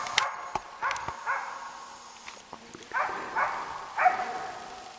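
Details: East Siberian Laika Ahmarakan Vera, a Finnish champion, holding a moose at bay while hunting: spaced, somewhat distant barks among snapping twigs and footsteps in the forest.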